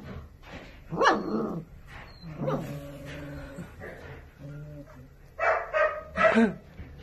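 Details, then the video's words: German Shepherd puppies giving short, high yelping barks, a loud burst near the start and a cluster of sharp yips toward the end, with a person's voice and quieter whines between. "German Shepherd Puppies"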